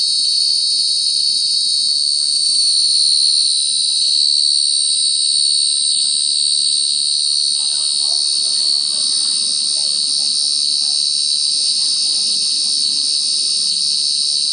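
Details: Cricket, named by its Khmer name ចង្រិត, with a steady, unbroken high-pitched trill that holds one shrill tone and a fainter, higher overtone throughout, over soft low background rustling.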